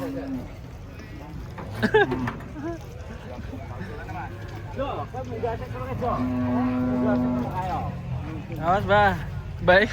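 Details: Cattle coming down off a truck moo amid market bustle: brief low calls early on, then a steady sustained moo of more than a second, and a rising, wavering call at the close, with people talking nearby.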